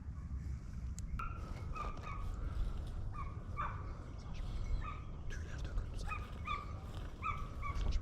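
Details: Distant hounds on a hare hunt bark in short clusters of ringing bays, separated by pauses, over steady low wind-like noise. Recorded during the opening of the 2023-24 season after a dry summer.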